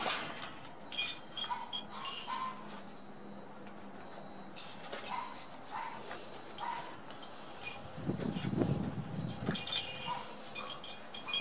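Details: One-month-old Border Collie puppies discovering new sounds and playing together: scattered short, high squeaky whines come in small bursts. Clinking and rustling run throughout, and a louder low thumping noise arrives near the end.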